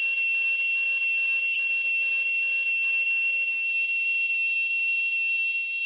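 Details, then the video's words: At Ta Prohm temple in Cambodia, an Asian cicada gives a loud, steady, shrill buzz that holds without pause. "The Soothing Song of the Asian Cicada (wait for it...)"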